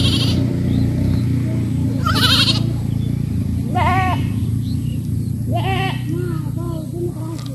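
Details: Several goats on a village farm give wavering, nasal bleats, each a brief trembling cry with vibrato, coming in loose succession over a constant low hum or rumble.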